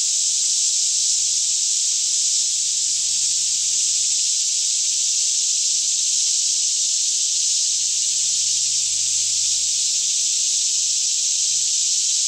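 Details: Daytime chorus of many cicadas singing all around in a lush green Kentucky forest near Franklin, about 10am with fairly still air, recorded in stereo on a Canon 5D Mk2; a steady, unbroken high buzzing wash fills the whole stretch, with a faint low hum beneath.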